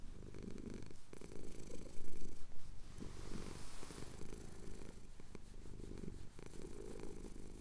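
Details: Male domestic cat purring while his chin is scratched, recorded at sunrise over the Cotswold hills on a Tascam DR-07X; steady low rumbling purr swelling and easing with each breath, faint scratching clicks above.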